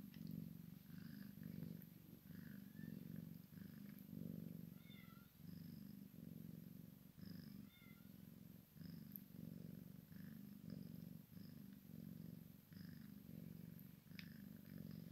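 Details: Low, rough purring from a Maine Coon x Sphynx cat as a kitten plays with its mama, pulsing steadily in breath-length swells, with a few faint high chirps around the middle and light tapping.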